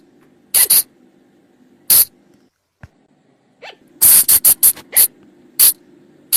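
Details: Flying lemur calling in forest, a sound used to attract them after dark: paired harsh bursts, a pause, a faint rising chirp, then a fast string of loud rasping bursts.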